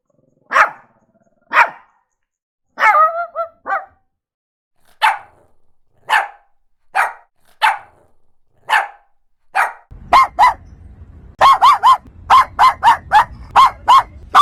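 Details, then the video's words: A Shih Tzu dog barks steadily, short yappy barks about once a second, one drawn-out tonal bark near the start, then faster, rapid barking over a low rumbling background in the final seconds. "OUÇA O SOM DO LINDO CACHORRO SHIH TZU LATINDO 🐕 LISTEN TO THE SOUND OF THE SHIH TZU DOG BARKING"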